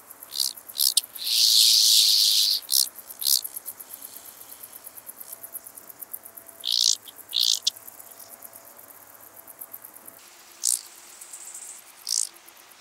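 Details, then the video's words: Large banded grasshopper, Arcyptera fusca, on sunny slopes at Fließ, Austria, 16 August 2018, picked up with an ultrasound detector: a loud dry buzzing burst early on, then scratchy ticking pulses and short rasping bursts recurring over steady faint clicking. "Arcyptera fusca -- Große Höckerschrecke -- Large Banded Grasshopper"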